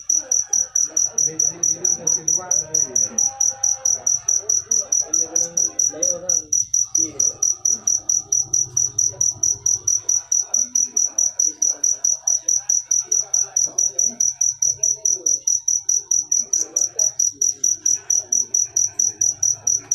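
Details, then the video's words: Persistent chirps from a cricket: sharp, high, ringing pulses in a fast, even train that never pauses, with soft indistinct voices and low hum underneath. "Full suara Jangkrik manis. Suara merdu"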